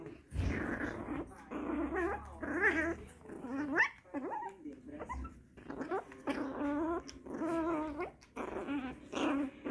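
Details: Excited Shih Tzu puppies making a fuss indoors, giving high rising and falling whines and yelps mixed with low playful growls in quick bursts, with a person's voice occasionally heard.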